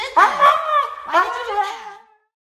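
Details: Siberian Husky indoors whining expressively, two long drawn-out vocal phrases, each sliding and wavering in pitch with a rich harmonic, almost talking quality, the second trailing off into silence.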